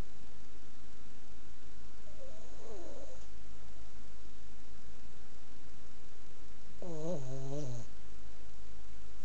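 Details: A loud snore from a sleeping Boston Terrier. A soft, breathy snore is followed several seconds later by a stronger, rattling, harmonic one that slides downward over about a second, over low room hum.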